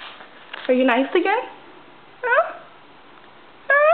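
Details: Indoors, the female house cat Stinky meows three times: a long bending cry first, then two shorter, sharper rising meows spaced a second or more apart, with quiet human speech in the background.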